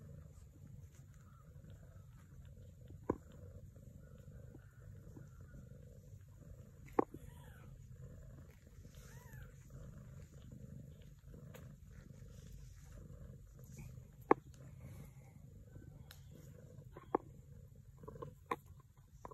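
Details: A Sphynx cat, a mother caring for Sphynx and British kittens, gives a steady low rumbling purr with a few faint, brief mews and scattered clicks.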